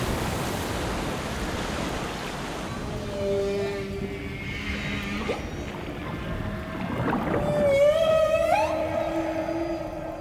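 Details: Humpback whale display sounds from the Abrolhos Bank breeding ground, where males chase females and display to each other underwater: drawn-out tonal moans and rising whooping sweeps, one bending upward near the end, over soft background music and water hiss.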